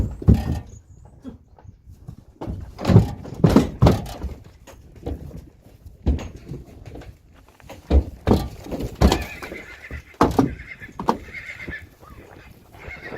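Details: Friesian horse colts being led out to pasture in April: heavy irregular hoof thuds and knocks dominate, with a brief high, harmonic whinny near the end rising above the stamping.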